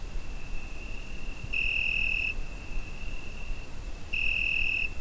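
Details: High, even cricket trill on a summer night, recorded with a Zoom H5; two louder, shriller bursts stand out about two and a half seconds apart against a constant fainter trill and low background rumble.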